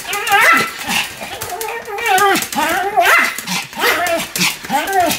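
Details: A Pomeranian barking without pause while spinning very fast: an uneven run of wavering, yelping barks and whiny cries, loud and irregular, overlapping each other.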